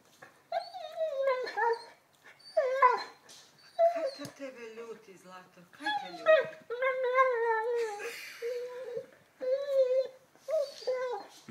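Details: Young Labrador, eleven months old, fussing over a new ball indoors, makes repeated drawn-out whines that slide downward, in bursts every second or two. Croatian speech runs over and between them throughout.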